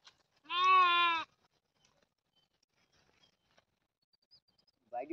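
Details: Goat giving a single loud, clear bleat of under a second, a steady harmonic wavering tone, followed by quiet and a brief second call starting at the end.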